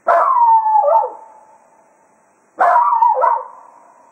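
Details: Cato, a Jack Russell Terrier at Quail Roost, serenades the hounds farewell as a day of foxhunting ends: two howls about two and a half seconds apart, each starting strong, sliding downward, then dipping briefly before trailing off.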